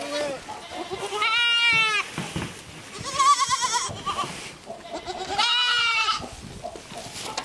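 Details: Young goats on a playground they were given call out with three strong quavering bleats, spaced roughly two seconds apart, each buzzy and wavering, with softer shuffling and murmuring sounds in between.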